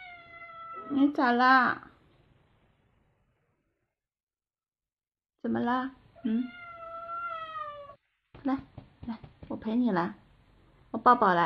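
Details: Mother cat warning off a young stray cat peeking at her newborn kittens: long wavering growl-like wails and rising meows in bursts, with quiet pauses between, indoors.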